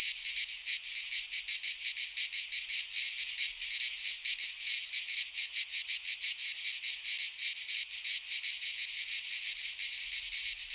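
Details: A pine forest in Greece in midsummer, full of singing cicadas. A loud, piercing, rasping hum beats in quick, slightly uneven pulses about three per second, and a faint low thud comes near the end.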